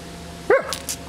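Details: One brief bark, bending downward, from Bonita, a Doberman pestering a bumblebee, followed by soft rustling clicks above a constant low hum.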